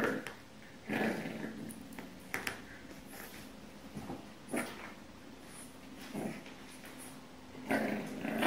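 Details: Indoors, a puppy makes short, low growls and soft whimpering noises as it tries to take its bed back from a cat, with several brief bursts spaced irregularly and quiet rustling between.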